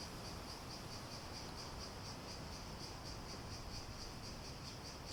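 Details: Steady rhythmic cicada buzz, a high shrill tone pulsing roughly four times each second, with faint broadband noise underneath.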